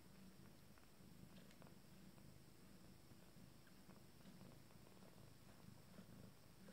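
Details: Purring at a family meal, first litter, kittens on their 14th day: a continuous low throbbing rumble with regular pulses, plus soft clicks and small rustles from the feeding animals.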